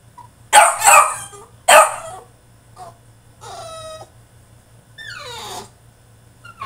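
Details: French Bulldog throwing a tantrum in his cage: two loud rough barks, then tonal whines, one level and one sliding downward, with a low steady hum behind.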